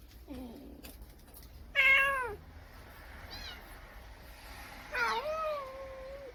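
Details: Kitten cries heard throughout the day, a protective adult cat hiding the young: a soft, low mew, then a loud falling meow, a faint distant one, and a long wavering meow that levels off.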